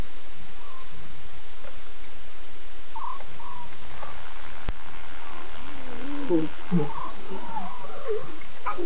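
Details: Lions at night, 02:50 a.m. on 8 September: six cubs with three adult Nkuhuma females, the cubs talkative and the adults contact calling. Toward the end, wavering mid-pitched calls come in a loose cluster over steady background hiss.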